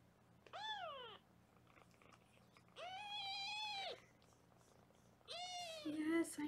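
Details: Foster kittens being weighed indoors on a Los Angeles kitten cam: three separate high, arching mews, each about a second long, spaced a couple of seconds apart, with a low voice briefly at the end.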